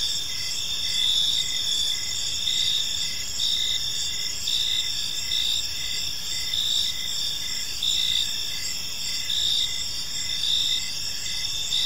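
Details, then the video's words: Crickets in a park as evening falls, producing bright high-pitched chirps in short bursts every second or two atop an unbroken insect drone, with mild low background rumble. "Park Serenade: Cricket Sounds in a Peaceful Park | Evening Ambience"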